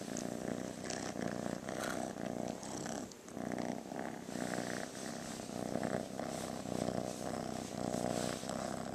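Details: Rescued female kitten, playful and affectionate, purring close up indoors; a loud continuous rumble rises and falls in cycles about a second long with each breath, with brief pauses between.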